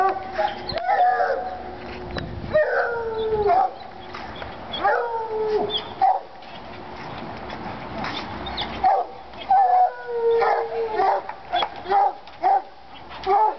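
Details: Treeing Walker Coonhounds Lady and Cooper in North Carolina, fired up on a coon skin, give long wavering howls that slide downward, overlapping bawls and barks between them, several drawn-out cries across the stretch.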